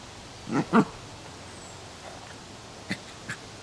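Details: A Coton de Tulear puppy playing in a yard gives two quick, sharp yaps close together, then goes quiet.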